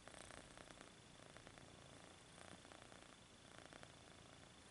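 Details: Purring kitten stretching its paws, the quiet rumble even and unbroken throughout, with gentle pulsing breaths.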